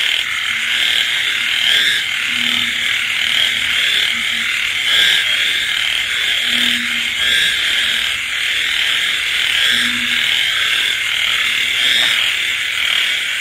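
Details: On a rainy night, frogs croak among insects. A thick, continuous shrill chorus runs throughout, broken by several brief, deep droning notes spaced a few seconds apart.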